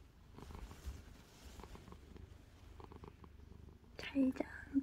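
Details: Sleepy calico cat lying in a blanket while still playing with its owner; soft, low rhythmic purring pulses in a quiet room, then a woman's soft voice saying good night near the end.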